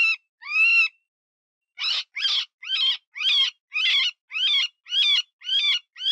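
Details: Cottontail distress squeals used as a predator-hunting lure imitating a wounded rabbit: two drawn-out wavering wails, a pause, then about nine shorter, harsh, quavering squeals in quick succession, clean with no background.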